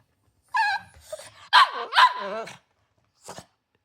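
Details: Milk, a Cavalier King Charles Spaniel angered by a too-small breakfast, gives a whiny grumble, then two loud, bending, protesting barks in quick succession, followed after a pause by one short yap.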